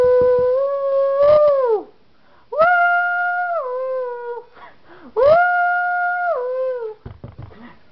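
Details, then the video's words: Pet Miniature Schnauzer dog howling along indoors to a tune played for her: three sustained tonal howls, each level then dropping at the end, about one every two and a half seconds, with brief noises between. "Schnauzer Dog Sings"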